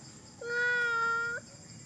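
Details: Monkey crying in one sustained, even, tonal wail lasting about a second, with a flat pitch, rich harmonics and a slight upward flick at both ends, over a quiet background.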